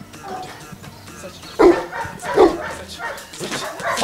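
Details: Boerboel dog in Kenya barking while taking commands: two loud, rough barks about a second apart, then softer voiced sounds, over a low murmur of background noise and faint music.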